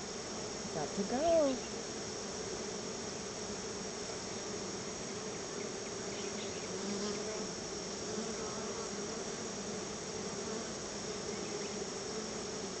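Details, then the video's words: Crowds of honey bees come out of their hive to see the honey treat they are being given. Their buzzing is a steady, unbroken low drone. A brief gliding, voice-like tone sounds early on. "feeding my honey bees a treat"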